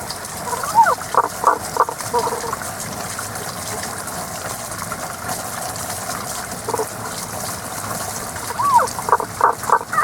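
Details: Unseen frogs singing in a season-limited chorus of mid-to-high notes: short pulsed bursts near the start and again at the end, separated by a quieter stretch, over a steady wash of flowing water.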